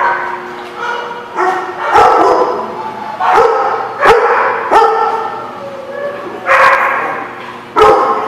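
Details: Dog at The Barking Lot on 24 October 2016, repeatedly voicing short, tonal, yelping barks and whines about once a second, separated by sharp percussive clicks and brief lulls.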